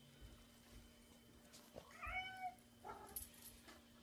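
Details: Kittens playing with bubbles give a short, high meow that bends upward and back down, followed by a quieter mew, over a steady electrical hum.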